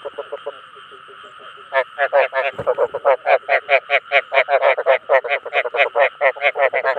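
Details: Chinese edible frogs (ếch đồng) calling to draw in others of their kind. Soft croaks give way to a loud, rapid run of rasping, pulsed notes, close together and steady, above a constant background drone.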